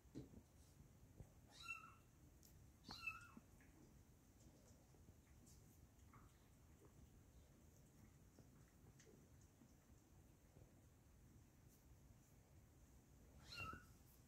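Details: Kittens indoors with clear, high-pitched meows: two strong mews near two and three seconds, a scatter of faint ones, and a final loud meow near the end, over a low steady hum.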